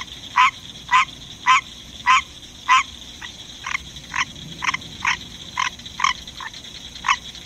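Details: A pet male green tree frog sings in the middle of the night, giving short, nasal, honking calls repeated roughly every half second over a steady insect hum.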